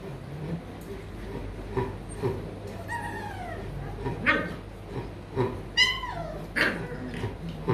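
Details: Rottweiler puppies at a breeding kennel in Hanoi, Vietnam, yelp and whimper in short, high, bending cries, about four of them spaced a second or so apart, over low room hum and occasional voices.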